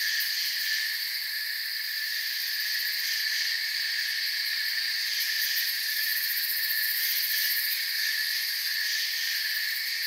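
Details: Forest crickets keep up a dense, continuous high trilling, several thin ringing tones stacked together at even loudness, with slight rapid flutter in the highest band and nothing else audible.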